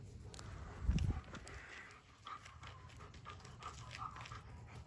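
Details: Odin, a German Shepherd, plays with his favorite toy, a log: a dull low thump early on, then soft, breathy panting with faint, thin whimpering tones over a steady low rumble.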